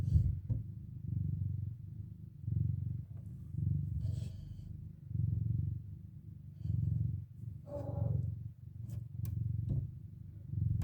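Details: Domestic cat mother with four kittens stirring from their nap. A deep, rhythmic purr rises and falls steadily, broken once near the end by a brief soft chirp, with faint rustling clicks.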